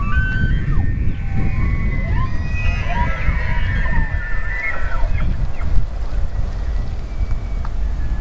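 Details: Elk bugling: a high, drawn-out whistled tone with overtones held for several seconds, partly masked by strong low rumbling noise like wind or water throughout.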